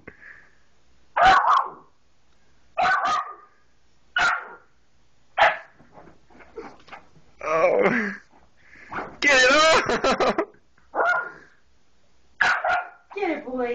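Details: Soft Coated Wheaten Terrier puppy, three months old, indoors trying to jump onto a couch to reach toys, giving short sharp barks and yips about every one to one and a half seconds, with a man talking encouragingly between them.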